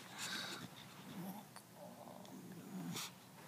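An English Bulldog snores, a low steady rumble broken by rough, breathy snorts.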